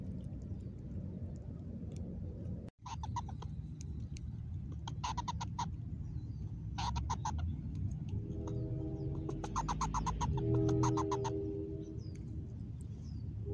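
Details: A new vocalisation from Mama Squirrel at a new spot, 26 August 2021: several bursts of fast, rattling pulsed notes, then a softer tonal, nasal sound under the rattles, over low steady rumble.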